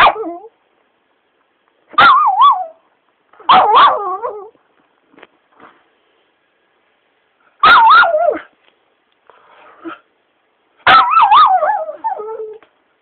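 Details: Teased pet Shiba dog complains in a series of short, wobbling yelp-whines, each a quick burst with pitch swinging up and down. Four main outbursts come at irregular gaps over about twelve seconds, separated by faint snuffles.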